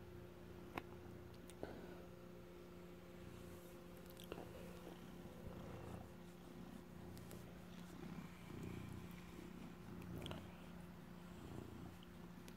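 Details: Indoors, an adopted former stray tomcat guards cheese he has stolen and purrs steadily. The purr is a rhythmic, low, rumbling pulse that swells in places, set against a steady hum and sharp clicks now and then.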